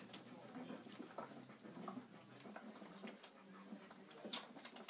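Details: Ten four-week-old Irish Setter puppies feeding from their mother Bella, giving soft, brief whimpering squeaks over a steady wet patter of suckling and shuffling.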